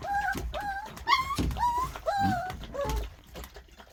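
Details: Black puppy indoors near feeding time while its mother eats, giving a series of high, tonal whining yips that rise then fall, about five in four seconds, with a woman speaking softly and some handling noise.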